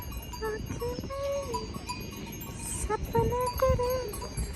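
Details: Cows give drawn-out, fairly high lowing calls amid the steady ringing of their cowbells.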